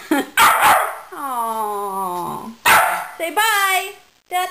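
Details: Dog named Lily, excited and bugging out while wet after a bath, gives loud sharp barks and a long falling whine in between, with a person talking close by.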